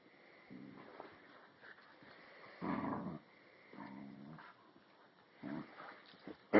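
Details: Cinnamon, an Alaskan Husky puppy tethered to a chair, play-wrestling indoors with Flash, a year-old Rottweiler/Puggle; short gruff growls come in separate bursts, one louder snarl near the middle, with a sharp knock at the end.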